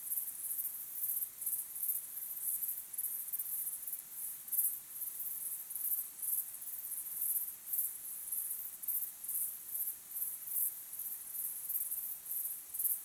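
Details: Sunset recording of crickets: high, thin pulsing trill, bursts coming several times a second in a steady rhythm, a constant chorus over quiet background.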